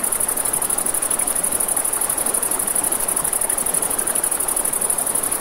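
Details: Crickets chirping at night beside a river, a steady, very high, rapidly pulsing trill running unbroken from start to finish over a broad rush of flowing water and soft campfire crackle.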